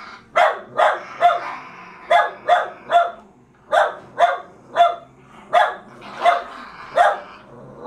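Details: Jack Russell Terriers tussling over a fallow deer's leg; a steady string of sharp, hoarse barks, roughly two per second, with brief pauses between short runs.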